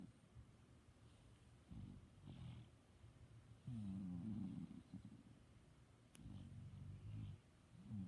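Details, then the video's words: Pet dog asleep and snoring: soft low rumbling breaths in slow waves, each inhale a grainy drone lasting about a second, with quiet pauses and a faint click partway through. "My dog snoring"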